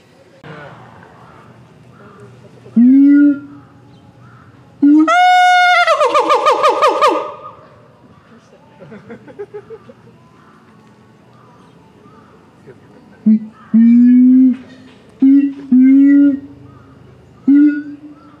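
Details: Captive gibbon at Higashiyama Zoo and Botanical Gardens, Japan, recorded September 2023: loud hooting notes with upward swoops, then a long, harsh, rising burst, followed by a series of short hoots repeated at intervals against faint background noise.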